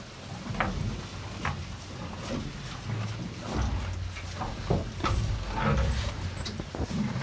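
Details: Hay being eaten by two cows: sharp crisp crunches and rustling of dry stalks scattered throughout, over a low muffled rumble.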